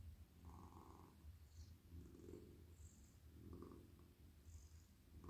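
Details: Cosy male housecat purring during petting in a lap: continuous low vibrating purr with rhythmic breath swells, plus soft brushing and rustling from hands stroking its fur.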